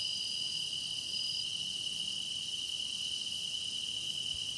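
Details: Grass insect song used for meditation: a steady, shrill pulsing chorus with a clear ringing tone and a brief thin whistle-like note about a second in. No other sounds intrude.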